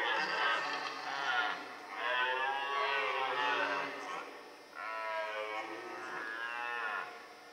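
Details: A red deer stag roars during the rut in the Forêt de Chaux, Jura, near Dole, France, where stags fight and hinds are present, giving long, drawn-out, moaning bellows in close succession.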